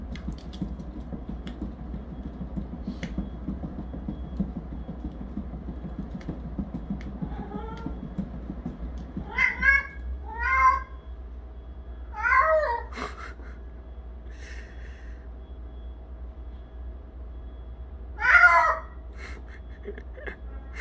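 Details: Jinam the cat, which wails daily while running on its cat wheel: wheel rumble early, then a series of short wavering yowls at uneven intervals, a steady low hum throughout.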